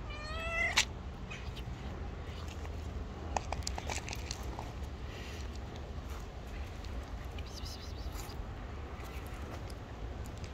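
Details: Hungry stray cat living on the street, wanting food but wary of approaching, gives one short rising harmonic meow in the opening second, then falls silent over a steady low outdoor rumble with faint scattered clicks.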